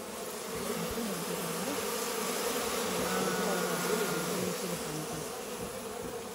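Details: Local honey bees kept in a hive inside a goat shed at a farm house: a steady, dense hum with a droning low tone and faint higher overtones, loudness fairly even throughout.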